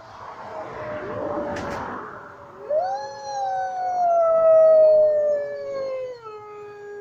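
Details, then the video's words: Wolves at a zoo in Lincoln give a long, steady howl that holds one pitch, then slides gently downward as it fades. "Wolfs howling at woodside zoo"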